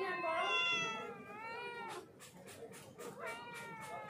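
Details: Hungry street cat meowing: a long, loud meow that falls in pitch, then a stretch of clicking and tapping noises, then another rising, drawn-out meow near the end.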